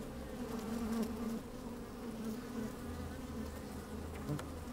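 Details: Honey bees moving about in an opened hive, sunny day with a little wind: a thick buzzing drone with short pitch-shifting individual buzzes weaving through and a low wind rumble pulsing underneath.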